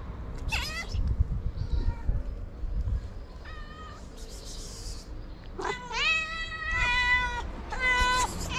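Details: Tabby cat, a feral street cat, meowing loudly to summon other cats for food; several clear harmonic meows of varying length, some rising then falling, spaced irregularly over low outdoor rumble.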